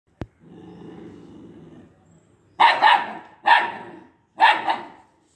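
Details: Two-month-old Italian Greyhound puppy barking at an unknown boy: a low rumbling growl lasts nearly two seconds, then a pause, then three sharp, bright barks come about a second apart.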